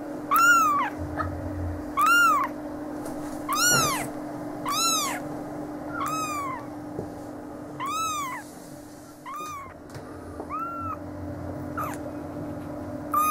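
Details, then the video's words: Young Siamese and Oriental kittens, eleven days old, crying in a string of thin arched mews, some louder and some fainter, roughly every one to two seconds, with occasional soft rustling and a background hum. "Siamese & Oriental Kittens - 11 Days Old"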